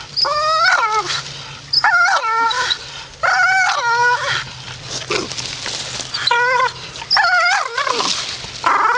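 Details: A grumpy Staffordshire Bull Terrier voices a string of whiny, warbling grumbles, each about a second long and bending down at the end, with short gaps between complaints.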